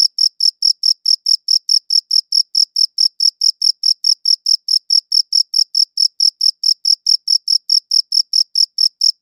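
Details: A cricket chirps steadily, each short high-pitched pulse following the last at a brisk, regular pace of about four per second, clean recording with nothing else audible.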